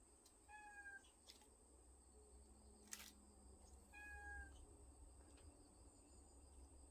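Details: Cat family living in a woodpile, recorded 20 August 2022; two thin, high, short mews about three seconds apart, against a constant high-pitched whine and low rumbling background.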